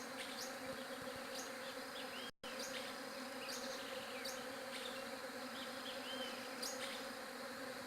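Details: Continuous bee buzz, a flat, even drone that holds throughout except for a short break, with scattered bird chirps and short whistles on top.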